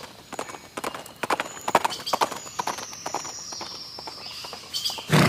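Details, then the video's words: Horse hooves clip-clopping in an uneven run of sharp knocks, a thin high whinny-like tone drifting across the middle, outdoors with a burst of noise at the end. "Learn Neighing, Snorting and Galloping Sound Effects of Horses"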